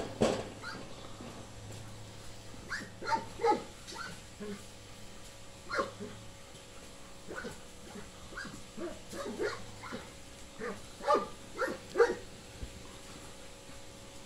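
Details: Female Tornjak dog, seven and a half months old: scattered short yelps and whiny barks, about a dozen brief sharp notes spread unevenly across the recording, over a faint steady background hum.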